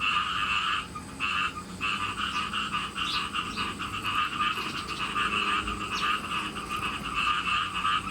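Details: Frogs raised on a farm calling before rain, in a near-continuous chorus of fast, rattling pulsed croaks that breaks briefly only twice, with a low hum beneath.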